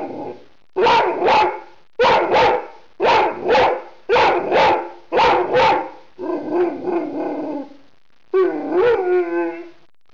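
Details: Rhodesian Ridgeback in a house on an evening while the owner works from home: six paired barks at a steady pace of roughly one per second, then rougher grumbling vocalising and a rising, tonal whining howl.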